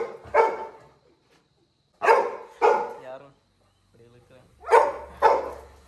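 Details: Little John, a Labrador Retriever puppy in a village, cries after his brother leaves the house: five sharp, harmonic yelping bursts in pairs, separated by pauses, with a faint murmur between.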